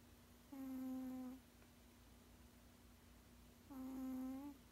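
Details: Sleeping 16-year-old male cat giving two humming snores about three seconds apart, each a level, buzz-free tone under a second long, with near silence between breaths.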